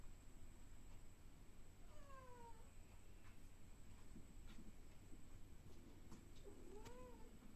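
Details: A cat gives two drawn-out meows that slide downward in pitch, the first near two seconds and the second close to seven seconds, over a steady low background hum with a few faint knocks.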